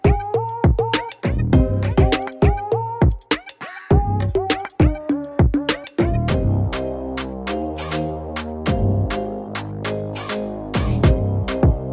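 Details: Electronic hip hop music with drum machine beats and sampled synth notes; no animal sounds.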